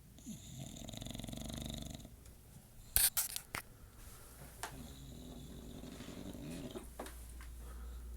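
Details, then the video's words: English Bulldog snoring indoors at 2:50 am, heard as rhythmic, rasping breaths in two long bouts with a low rumbling hum beneath, separated by a few sharp clicks and knocks. "English Bulldog snoring"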